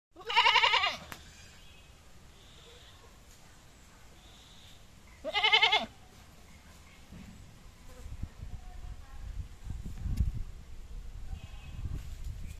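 Two loud, wavering goat bleats, the second about five seconds after the first.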